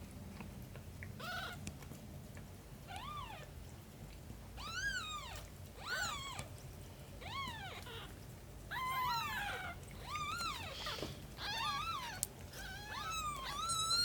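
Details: Cats: Shin caring for aunt Camel's kittens, mother cat nurturing. About a dozen high, arched mews with rising-then-falling pitch and rich overtones come every second or so, crowding and overlapping toward the end over low background hum.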